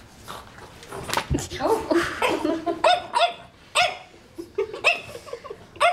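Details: French Bulldog puppy scared of a magazine, barking again and again: high, ringing yips in uneven bursts, roughly one a second, mixed with people talking and laughing nearby.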